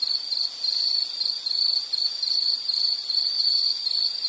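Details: High, continuous insect trilling with slight wavering pulses, dense and unbroken throughout.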